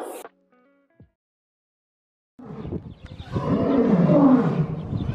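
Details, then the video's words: A lion gives a deep, rough roar that swells in loudness and holds for several seconds. "¿Te gustaría escuchar el rugido de un león?"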